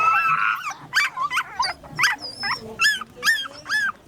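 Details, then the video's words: Puppy giving a rapid series of high, whining yelps and yips, each a short arched cry with bright overtones, about two per second with uneven spacing; no other clear sounds. "Dogs and beautiful puppy, real puppy's sound effect"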